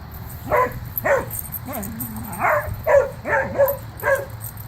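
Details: Two pet dogs, Boomer and Sophie, playing together by wrestling and running, give a series of short, sharp barks about every half second, some with yelping, rising-falling tones; a low steady hum runs underneath.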